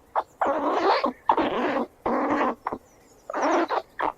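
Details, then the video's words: Squirrels running around give harsh, raspy squeals in bursts of about half a second to a second. "Sonido de la ardilla// Squirrel sound // They squeal and run around"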